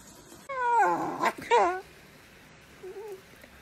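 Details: Dachshund giving two loud, wavering, high whining cries, each under half a second, followed by a soft short whimper; quiet room background.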